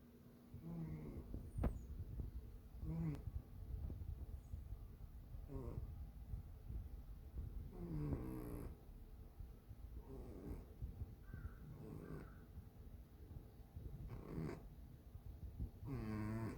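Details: A sleeping pet cat snoring indoors, with soft breathy low rumbles repeating roughly every two seconds, some with a faint higher nasal edge, over a quiet steady background hum.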